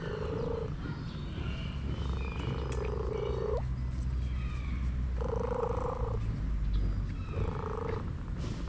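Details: Massaged orange cat voices four sustained, even-pitched meows of varying length, the second longest and ending in a brief upward flick, against a steady low drone.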